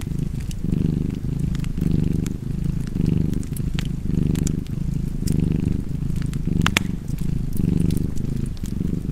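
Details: Steady, resonant cat purr beating in rhythmic breath pulses about once a second, with fireplace crackles and snaps scattered throughout.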